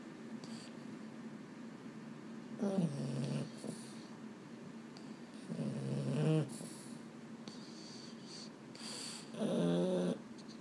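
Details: Boston Terrier indoors at bedtime, snoring: three long, rough, low snores with a faint nasal harmonic whine, one every three to four seconds, with quiet room hiss in between.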